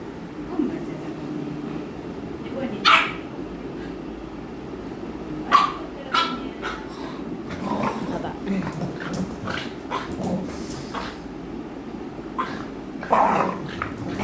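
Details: American Bully Aami, a female, plays with her housemate Mikku, who bites at her while she follows him. Short sharp barks and yelps break out at about three and five seconds and again near thirteen seconds, over steady Malayalam speech and indoor hum.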